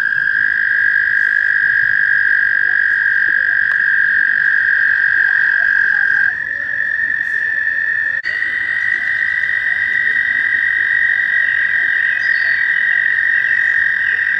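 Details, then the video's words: Several American toads trill in a mating-season chorus at a shallow pond near Warbler Bridge, Wehr Nature Center, in May; long overlapping high trills shift slightly in pitch as callers hand over, continuous throughout. "Toads Looking for Love"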